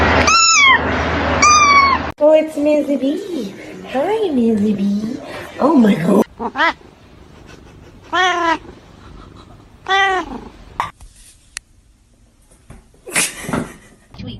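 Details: Pet cat in a humorous cat compilation with repeated drawn-out meows: two strong wavering calls, a lower moaning stretch, then several shorter meows spaced a couple of seconds apart, with human voices in between.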